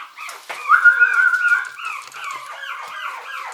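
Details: Seventy-day-old short-haired Chihuahua puppies, males and females of several colours, lively and playful: one long steady high whine, then a string of short bent whimpers follows.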